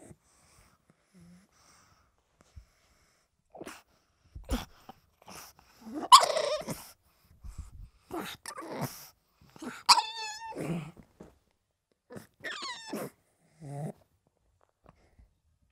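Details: Pug dog making scattered short snorts and breathy huffs, broken by several brief, high, warbling yelps, with pauses of quiet between sounds.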